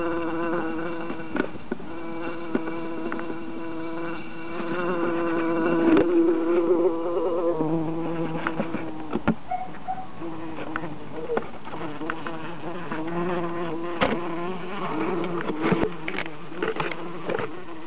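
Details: Several bees, three in all, held in a jar during summer, giving a continuous droning buzz that wavers in pitch, broken by tapping clicks and knocks as they strike the glass.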